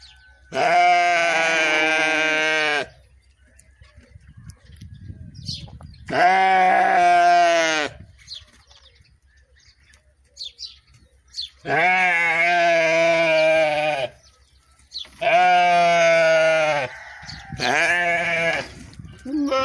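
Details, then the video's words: Sheep bleating in long, loud, wavering calls of about two seconds each, five bleats with quiet gaps between, some overlapping harmonics suggesting more than one animal, faint background rustle. "The sound of a sheep, the sound of a sheep صوت خروف ، اصوت خرفان"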